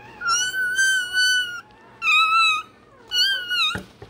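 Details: Day-old Rottweiler puppy crying while its tail and dewclaws are done: three long, steady, high-pitched squealing cries, each lasting about a second, separated by short pauses, over a faint low indoor hum.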